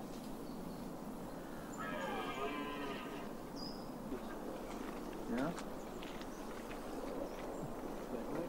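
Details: Mating-season red deer in the Weerter bossen woodland, Limburgs Landschap, filmed from 100 to 300 metres: one hoarse, harmonic roar of just over a second, followed by faint voices and scattered clicks from spectators and photographers.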